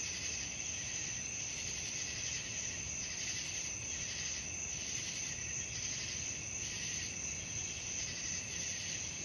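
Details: Night cricket chorus for relaxation and sleep: unbroken high-pitched trilling layered at several pitches, with gentle swells roughly every second and a soft low background hiss.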